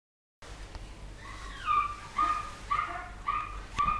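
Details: Poodle puppies recorded in 2012, giving a run of high, squeaky whistled whimpers, five short rising-falling squeals about half a second apart after a brief silent start, over faint room hiss.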